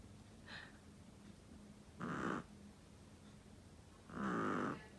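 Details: Chihuahua snoring indoors: two loud, hoarse, nasal snores about two seconds apart, each lasting under a second, after a faint first breath, with low room hum between them.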